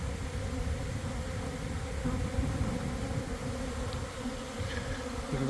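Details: Honey bee swarm forming near a hive in a garden around one in the afternoon, after a week of cold, damp weather, bees coming in to land; a dense, steady buzz with a deep low hum and a continuous mid-pitched drone throughout.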